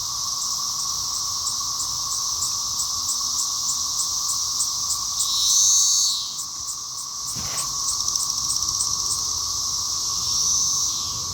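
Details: Cicadas in a small apple tree: a loud, steady high-pitched buzzing drone with a fast pulsed texture throughout, a brief louder whine near the middle, and a short thump partway through.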